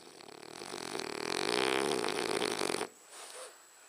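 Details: French Bulldog snoring indoors: a loud, rattling, rapidly pulsing breath swells for nearly three seconds, then stops abruptly, followed by a soft short snuffle.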